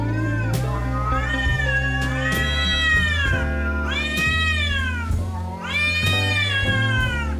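A domestic cat gives drawn-out, yowling wails that swell and sag, each lasting a second or two. Cats in heat caterwaul like this while seeking mates, and music plays steadily underneath.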